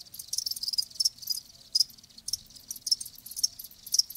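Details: Live crickets giving short high chirps in uneven bursts, roughly two or three per second, each a brief bright trill, with quiet gaps between and nothing else audible.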